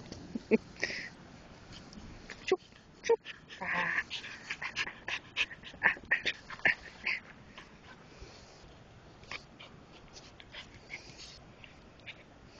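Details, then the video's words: Espin, a Keeshond puppy, rough playing: scattered short grunting and whining bursts between sharp clicks and scuffling knocks, with louder squeaky yelps clustered from four to seven seconds. "Keeshond puppy playtime 2"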